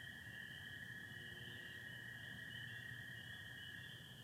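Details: Spring peepers calling with American toads in Michigan on 24 April 2025, under stars and some overcast: a steady high chorus band of peeps over a lower continuous trilling band, both unbroken throughout, with a soft low rumble beneath.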